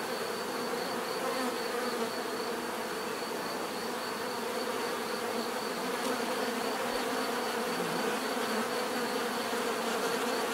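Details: Dense bee buzzing, a seamless droning hum where single bees briefly grow louder and fade within the swarm, a faint high whine held in the background and a soft low thump near the middle.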